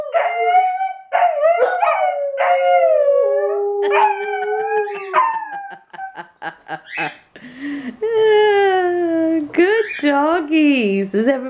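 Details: Two Alaskan Malamutes, an adult female and a puppy, howling together as a harmonica plays; long wavering tonal howls that slide and dip, overlapping, with the harmonica's notes woven through and a man's voice near the end.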